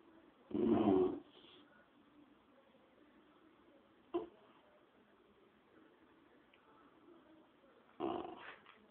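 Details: A small dog gurning in a dingy old shower cubicle; a short rough growling burst, a faint click near the middle, then a second growl at the end, otherwise quiet.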